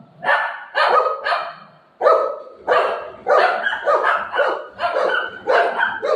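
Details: Pet Golden Retriever during play with its owner, giving loud rough barks in quick bursts, some doubled, with brief pauses between groups and little else in the background.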